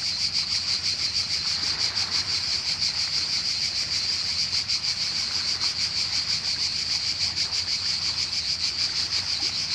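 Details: A cicada's loud, steady buzzing song, high and pulsing, over a soft rumble of waves on the coast of Croatia.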